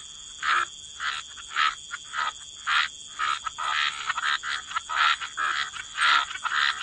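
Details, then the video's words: Croaking frogs in wetlands by the water, short raspy calls repeated about once every second, growing busier and overlapping in the second half, faint constant hiss in the background. "Frog Lullaby: Relax to the Sound of Croaking Frogs"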